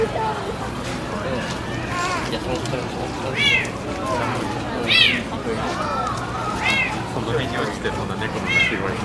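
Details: Captive serval at Higashiyama Zoo and Botanical Gardens, filmed February 2024, giving cute, cat-like calls: short rising-falling mewing notes repeated several times, spaced roughly every one and a half seconds, over steady visitor chatter and crowd noise.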